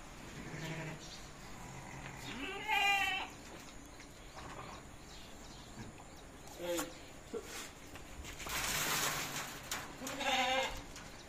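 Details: Sheep bleating during a tonic feeding session, two short wavering harmonic bleats at about three and ten seconds, with quiet background rustle and a brief noise burst in between.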